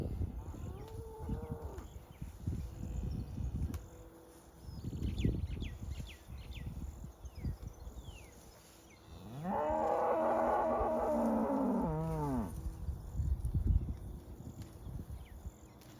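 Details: Many cows grazing together outdoors, one giving a long, loud, strained moo with stacked harmonic bands lasting about three seconds, a shorter moo earlier, over steady munching, rustling and a constant background hum.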